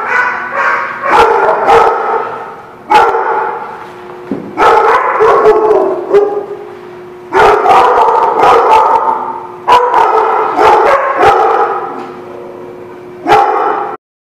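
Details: Loud, continuous barking at a dog lot recorded 2/3/17: rough overlapping barks rise in repeated surges every two to three seconds, with sharp clattering knocks between them.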